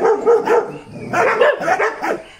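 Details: Dachshund barking in a burst of short, sharp, yappy barks, three quick ones then a louder run of several more, with people talking nearby.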